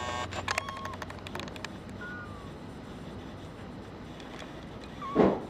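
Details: Male brown tabby and white kitten born 27 February 2011, awaiting adoption: a faint high mew in the middle, then a louder, falling mew at the end, with clicking noises early on and a low background hum.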